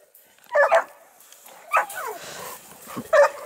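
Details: Dogue de Bordeaux at an amateur breeding kennel in Italy, a few short barks: a burst around half a second, another near 1.8 seconds and a third at 3.2 seconds, with a man's voice nearby telling the dogs to stop.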